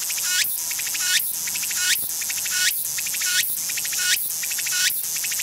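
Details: A Walker's cicada (tsukutsukuboushi) sings its full song from start to end: loud, shrill phrases, each ending in a rising sweep, repeated about every three-quarters of a second.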